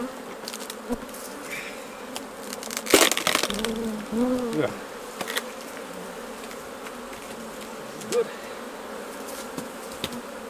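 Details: Honey bees at the hives during a honey harvest, as honey is taken off: a steady, droning buzz runs throughout, broken by sharp clicks and knocks of handling and a short burst of a human voice near the middle.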